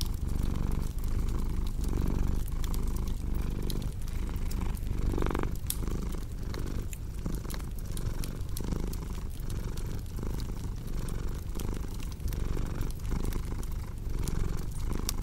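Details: Low droning purr of a cat, its breath cycles less regular, under a busy layer of crackling fire snaps and pops.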